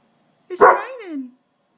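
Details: Indoors on a rainy day, Krauser the dog lets out a single harsh bark that slides down into a drawn-out, falling whine, the rain said to make him crazy.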